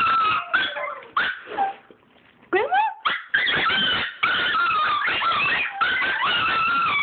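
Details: Pet Chihuahuas whimpering with excitement at being asked to go see grandma: drawn-out, high, wavering whines with rising and falling sweeps, broken by short pauses, one brief upward-swooping cry, and a person's voice in the background.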